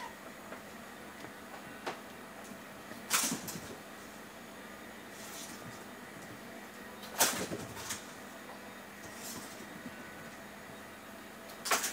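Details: Bursts of rattling and scraping, like a toy being knocked about, recur every few seconds over a steady background hiss, with no animal voice heard.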